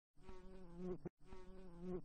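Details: Housefly (Musca domestica), wing buzz.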